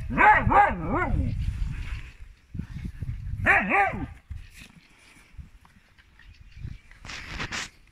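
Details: Siberian Husky females arguing, giving two bursts of wavering, warbling howls that swoop up and down, separated by quieter scuffling and brief huffs, ending with a short noisy whine.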